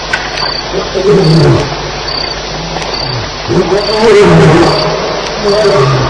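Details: Lions fighting at night at Elephant Plains on July 9, 2010, around 2:11 am: deep, rough growls rising and falling in short arcs, several overlapping, with steady high cricket chirps pulsing throughout.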